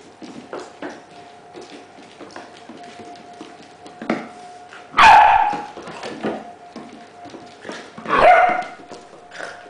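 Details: Household with three dogs, including an 8-week-old puppy named Poppy, an older dog named Candy and a Springer named Meg. Indoors, two loud, sharp barks stand out over a steady electrical hum, with soft scuffling and small yips between them.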